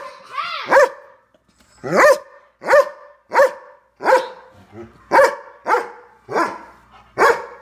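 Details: Large pet Doberman barking at a little dog: opens with a rising whine, then about ten sharp, resonant barks, roughly one every three-quarters of a second, with a soft low grumble midway.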